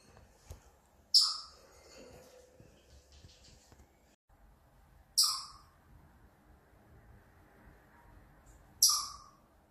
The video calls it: 발정기 우는 다람쥐 Chipmunk's mating call